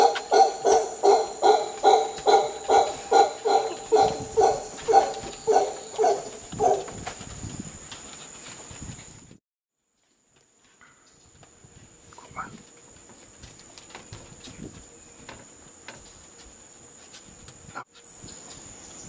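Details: Costa Rican howler monkeys start with a fast run of rough, pulsing grunts for about seven seconds, which then fade out, leaving a short silence and quiet background noise with a few faint distant calls.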